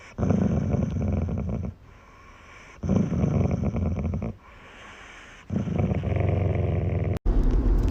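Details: A pet dog growls in three long, low, rumbling bursts of about one and a half seconds each, separated by short quiet gaps, with a sharp click near the end.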